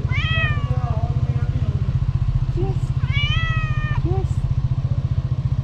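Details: Tuxedo cat with a black nose, very hungry, meowing loudly for food. Two long, drawn-out meows about three seconds apart, each held level and then dropping at the end. A constant low throbbing rumble runs beneath, with a person speaking between the calls.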